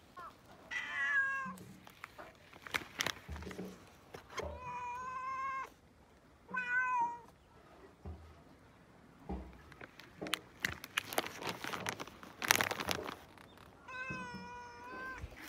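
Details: Four drawn-out meows from a cat being petted, each clear and strongly tonal with a slight wobble, separated by quiet gaps with rustling and sharp clicks and bursts of handling noise.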